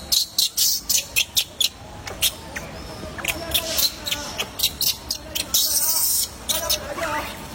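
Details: Baby monkey named DiDot crying when not being fed, a run of shrill, hissy high-pitched squeals and shrieks in rapid bursts, several per second, loud and close with no other clear sounds.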